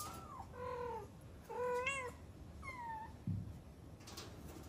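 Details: Cat calling repeatedly with four clear, tonal meows: a falling cry, two wavering mid-length calls and a shorter descending one, then a soft thump and quiet room background.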